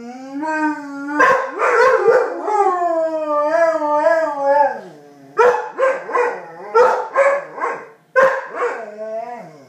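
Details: Two dogs howling back and forth as if talking to each other: long wavering tonal howls that rise and fall, then a series of shorter yodelling howls and yips, some overlapping, with brief gaps.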